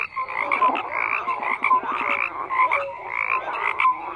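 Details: A crowd of frogs calling at once: buzzy, rattling croaks in bursts of about a second, layered with higher chirps and short tonal whistles, with no pause in the din.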